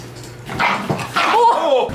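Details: A Bichon Frise dog reacts as its owner pretends to be dead, ending in a bite; a short, high whimpering whine rises and falls near the end of two seconds, with a human voice and background noise.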